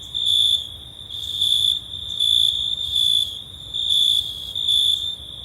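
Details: Cricket song recorded in summer: a shrill, even, high-pitched trill pulsing into six louder bursts, slightly more than one per second, with bright overtones above and little else heard.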